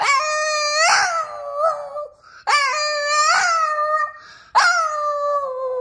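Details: A Boston Terrier howls along with music in three long, wavering phrases, each swelling upward and then sliding down.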